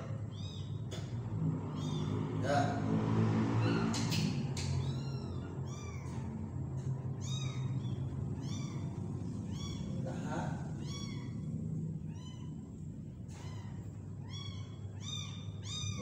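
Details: Small kitten meowing while being hand-fed: high, arched, harmonic mews repeated in quick series, several per second at times, with a voice talking and a low steady hum underneath during the first seconds.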